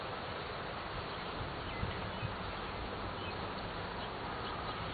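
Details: Steady, thick droning of honey bees at an open hive during an inspection on June 11, 2011, an unbroken low hum with a couple of soft knocks near the middle.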